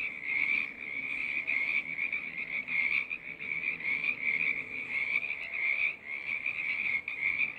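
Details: Frog choir sounding through snowy, bad-weather days: a dense, continuous chorus of many frogs, high trilling calls overlapping in an unbroken wall of sound with steady rhythmic pulsing.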